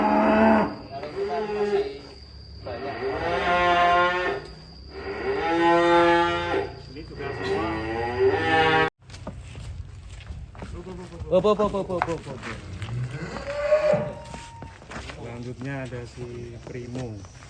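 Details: Colourful cattle, one white, one black and one reddish brown, giving repeated long lowing moos roughly every few seconds, deep and nasal, with background music and later softer moos and voices.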